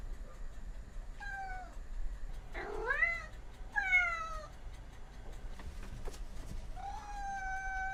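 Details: Domestic cat meowing: four drawn-out, clear meows, the first and third sliding downward in pitch, the second rising then falling, with quiet gaps and faint clicks and rustles between calls.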